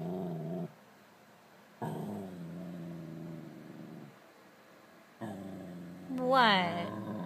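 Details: Pet Scottish Terrier reacting to his reflection indoors: low sustained growls in two long stretches, ending in a rising whiny yelp, with a woman's soft voice talking to him.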